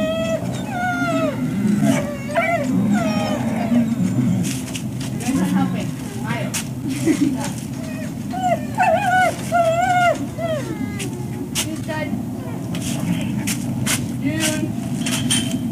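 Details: Dogs named Sage, Basil, River, Oakley, Sunny, Bumble, June and Lily wait for breakfast at the Service Dog Project in Ipswich, USA, in October 2017. Bursts of squeaky, bending whines come in clusters between quieter stretches, with speech and clatter.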